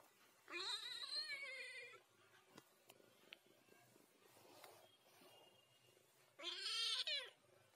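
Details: Ginger cat talking: two long, drawn-out meows, each lasting over a second with a rich harmonic stack, separated by about four seconds of quiet room sound with faint clicks.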